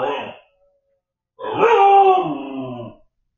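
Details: Left home alone while its owners dined out, Siberian Husky puppy Shadow makes a brief sound, then after a pause a wavering, talking-like howl of about one and a half seconds indoors.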